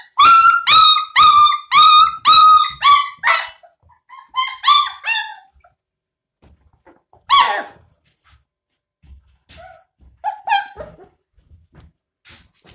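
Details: Puppies twenty-two days old, being bottle-fed milk, give a fast series of loud, shrill squealing yelps, about two per second, then scattered softer whimpers and squeaks between quiet pauses in a small room.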